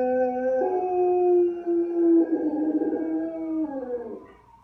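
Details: A domestic dog gives a drawn-out howl. It starts on a steady note, steps up in pitch, then slowly wavers and falls. The sound fades away over nearly five seconds.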